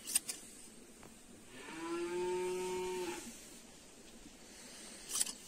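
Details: Domestic sheep during shearing gives one steady, drawn-out bleat lasting about a second and a half, with a few sharp clicks and knocks before and after in a quiet setting.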